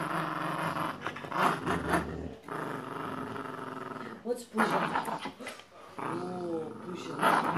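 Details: Indoor tug of war over a penguin toy between a Boxer and a Jack Russell Terrier; low rasping growls come in surges with pauses, mixed with a woman speaking and some clatter.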